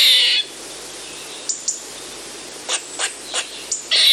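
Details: Eastern gray squirrel: a harsh buzzy burst fades, then a few scattered sharp chucks tick past before another raspy buzz begins; quiet hiss fills the gaps.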